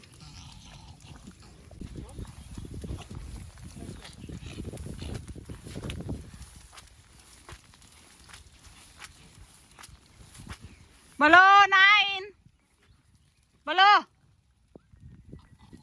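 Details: Pomeranian walked outdoors in continuous rain with water rising. Chatter and music come first, then a long, strained, wavering bark-whine. After a pause, a second shorter one follows.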